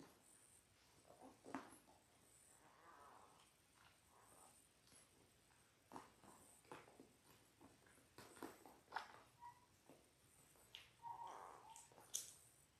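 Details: Litter of six Labrador Retriever puppies, 10 days old, born January 18, 2022, filmed indoors on a puppy cam; faint nasal whines and brief high squeaks rise here and there over constant shuffling and tapping sounds.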